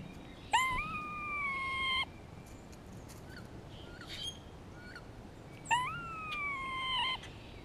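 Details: In spring, a grey squirrel communicates with another squirrel and answers a hawk close by. It gives two long tonal wails, each sweeping upward and then sustained with a slight fall. Faint short chirps come between them.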